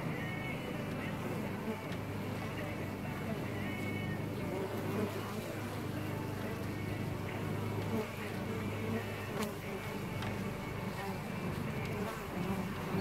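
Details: Honeybees inside a hive in June, a dense continuous hum with a steady low drone and broad buzzing throughout.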